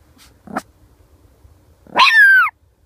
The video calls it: My Dog Primus Pekinese Barking